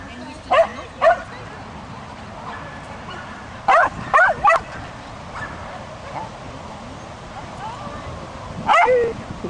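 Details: Agility-training Swedish Vallhund, a female two months into the sport; scattered sharp barks and a tight cluster of three near the middle, mixed with speech and background hum.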